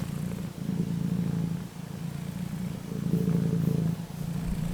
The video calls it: You won't be able to resist my cat's purring